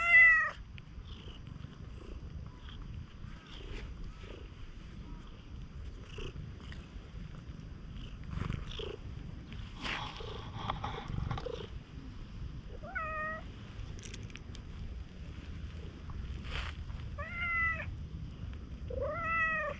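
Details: At a rain-soaked campsite, a stray cat that looks like a raccoon dog nuzzles up affectionately, uttering several short, soft rising meows late in the stretch between handling noises and low rumbling background.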